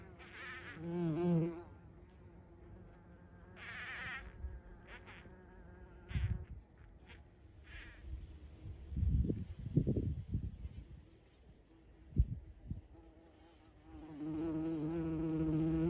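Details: On 14 June 2023, a bumblebee's low, droning buzz comes and goes in bursts as it flies close by a feeding spot.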